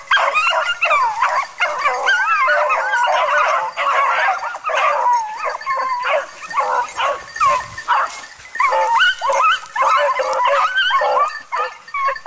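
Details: A dog training on wild boar gives near-continuous excited yips and barks that rise and fall in pitch, packed closely over twelve seconds with only brief gaps.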